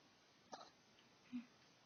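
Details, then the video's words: Bailey, a Chihuahua, hiccuping after waking from sleep, during a hiccup session that lasted five minutes. Two short, soft hiccup pops fall less than a second apart in a quiet room. "When my Chihuahua has Hiccups"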